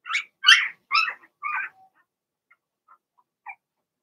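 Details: Young Cavalier King Charles Spaniel puppies, a Blenheim litter in a home puppy pen, give four quick, sharp yelping whimpers in the first two seconds, then fall to faint scattered squeaks and one last short whine.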